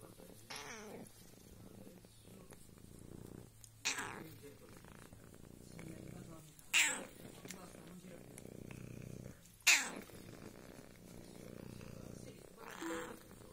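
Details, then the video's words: Female colony cat meowing in a mock 'corsivo' drawl; five short, harsh, strained calls about every three seconds over a quiet room hum, with a person calling softly between them. "Gatta miagola in corsivo"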